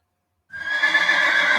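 A horse gives a loud, quavering neigh that starts abruptly and holds steady.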